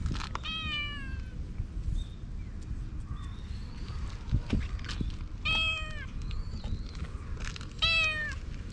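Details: Calico cat whose cute calls drew a black cat over; three clear, drawn-out meows, each falling in pitch, spaced a few seconds apart, with faint high chirps between them over a steady low rumble of outdoor background noise.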